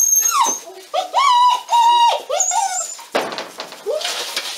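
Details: Pyrenean mountain dog pups, a 46-day-old litter (A6) at La Borda d'Urtx in Cerdanya, Catalan Pyrenees, whine insistently: long clear tonal cries, some held level and others dipping, repeated in quick succession, ending with rustling noise.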